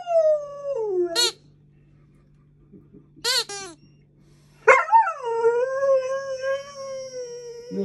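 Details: Alaskan Malamute puppy, female, wary of a new squeaky alligator toy: a falling howl, two brief yips, then a long wavering howl that rises sharply and settles, with a woman speaking softly.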